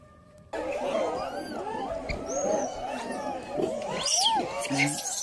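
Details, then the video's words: Baby macaque abandoned by its mother, lying on the ground and crying: a dense run of overlapping, arching, whiny squeals that rise and fall continuously, with brief higher squeaks breaking through. "Baby monkey lying on the ground crying"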